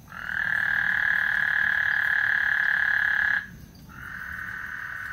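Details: Frogs calling on Lake Houston as a thunderstorm approaches. A loud, even trilling drone holds for over three seconds, breaks off, then returns more softly.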